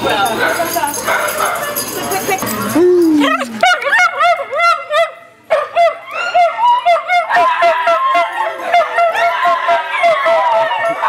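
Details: Italian Greyhounds at a Sunday morning rescue playdate at Mantayo Kennels, Denver, Colorado, on 26 January 2014. A few seconds of muffled chatter give way to a dense chorus of high yips, sliding whines and short barks from several dogs.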